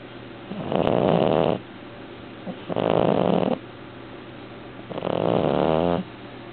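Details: Devon Rex cat named Arnie snoring in his sleep, three loud buzzing snores about two seconds apart, each roughly a second long, over constant background hum.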